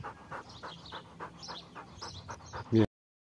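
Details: Belgian Malinois named Horus des Champs panting in fast, even breaths about three or four per second, ending in one short, loud, tonal yelp before the sound cuts off.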